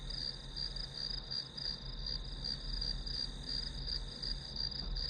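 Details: Grass insects keep up an unbroken high, pulsing chirp, a little under three pulses per second, over a constant low hum in the background.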